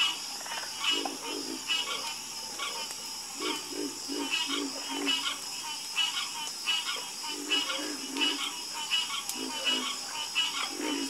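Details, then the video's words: Chorus of frogs at night, bursts of quick low croaks in clusters alongside higher rasping calls, all above an unbroken high shimmering hiss. "Sleep Like A Baby With The Calming Sound Of Harmonious Frog Croaking"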